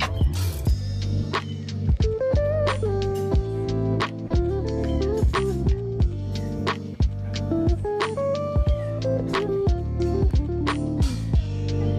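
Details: Plucked guitar music with a steady beat and strummed chords plays throughout, with no animal sound.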